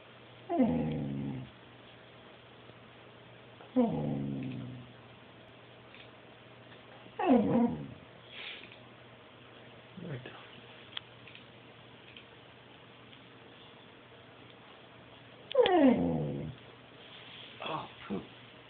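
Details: A talking dog gives drawn-out, falling moans and howl-like calls, three strong ones spaced a few seconds apart with softer yips between; a person's voice is heard briefly.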